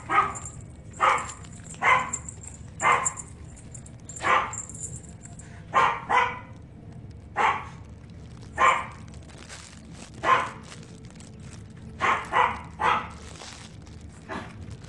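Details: White and brown female Shih Tzu, born January 2017, in a pet shop, barking steadily in short sharp yaps about once a second, some doubled, over a faint high electrical whine.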